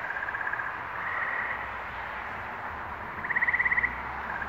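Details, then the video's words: Spring chorus of frogs in New England, May 11, 2023: a murmuring wash of distant callers, then one clear, fast-pulsed trill of about half a second near the end. "Frog Songs - New England, May, 2023"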